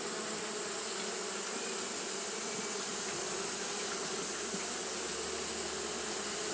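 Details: Japanese honey bees fanning nonstop on a hot day: a steady, unbroken hum with a low droning band and bright hissy overtones, even in loudness throughout, no pauses or other callers.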